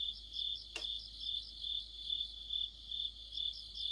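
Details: Autumn chorus of crickets with other insects: a steady high shrill trill overlaid by rhythmic pulsed chirps about three times a second, interrupted briefly by a single sharp click.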